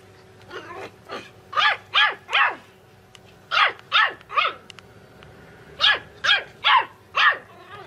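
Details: Puppies barking in high, sharp yaps grouped in bursts of three or four, with short pauses between the groups.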